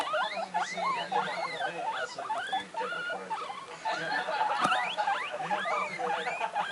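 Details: Excited pet guinea pigs, one about six weeks old and two one-month-old young, kept together indoors, giving quick high-pitched rising and falling whistled squeaks in rapid bursts, with a low hum underneath and a brief clatter midway.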